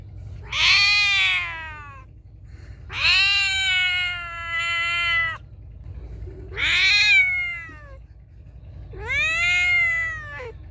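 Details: Feral cat meowing loudly, four long, strained meows spaced about two to three seconds apart, each rising then sagging in pitch, with faint low hum between calls.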